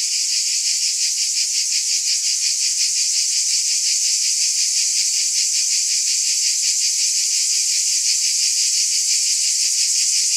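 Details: High, sizzling cicada drone running without a break, its pulsing beat near three per second and loudness nearly constant; nothing else audible.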